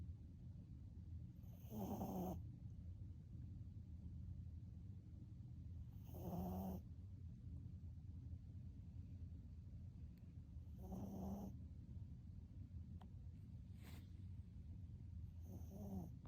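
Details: Sleeping puppy snoring as loudly as a father, a low rumbling breath with a rasping snort at each inhale, about every four to five seconds, against a steady background hum.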